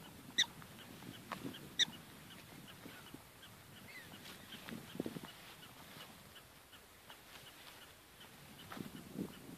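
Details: Prairie dogs in Badlands National Park, South Dakota, USA, on October 12, 2013: two sharp, high, harmonic chirping barks in the first two seconds, then fainter scattered chirps over a low, rumbling, wind-like background.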